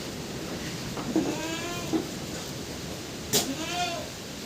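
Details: Pet goat brought indoors because of typhoon Uwan gives a few quavering, wavering bleats spaced a second or two apart against steady background noise.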